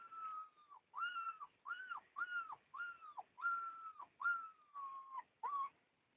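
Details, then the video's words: Husky puppies whine in a steady series of about nine tonal, arching squeals. Each lasts roughly half a second and ends with a brief downward slide. Faint squeaks sit between them in a quiet indoor setting with no other clear sounds. "щенки хаски"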